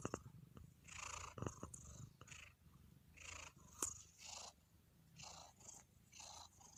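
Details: Domestic cat purring in a relaxed state: a steady low rumbling throb running throughout, with soft breathy rustles and a few brief clicks above it, recorded close indoors.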